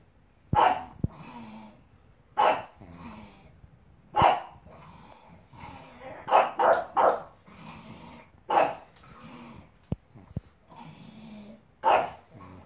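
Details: Pug barking at a giraffe giving birth on screen, indoors: sharp single barks spaced one to two seconds apart, some in quick pairs, with soft huffing between them.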